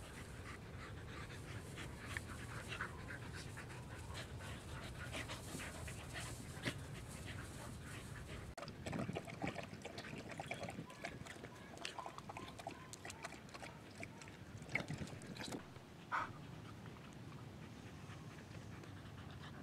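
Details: Australian Cattle Dog panting in the backyard, one of three females enjoying fine weather; quick rhythmic breathy huffs run continuously, with a few louder clicks and soft scuffling noises partway through.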